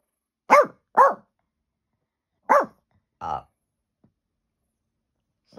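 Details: Peanut, a pet dog indoors in April 2023, barking at nothing on an iPhone recording: two quick barks, a pause, another bark, then a short low growl-like sound.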